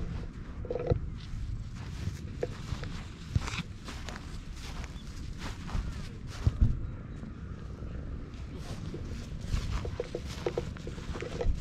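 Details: Stray cat in a park, purring with pleasure while being stroked, filmed on a GoPro; a steady low rumbling purr runs throughout, overlaid with rustling, handling noises and occasional soft clicks.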